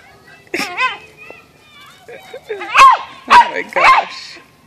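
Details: Bungie, a pet dog chasing and being teased by a squirrel, gives a few sharp, frustrated barks with harmonic yips, rising and falling, amid a person's speech and laughter.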